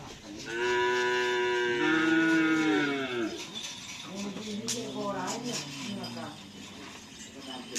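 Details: Cattle at karapan sapi bull-race training at the Asemanis field, where a new bull has joined team Pisang Emas. A long, deep moo swells for about three seconds and then sinks in pitch. A quieter, wavering low call follows, with faint background noise.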